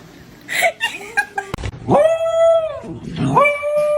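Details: Kitten crying: after brief scuffling and voices, a long drawn-out meow holds one steady tone, then a second shorter rising cry follows in a small indoor room.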